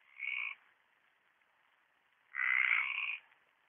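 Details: Mediterranean tree frog calling at a pond in Orio on 27 March 2013: two harsh, rasping croaks, a short one and then a longer one about two seconds later, with quiet pauses around them.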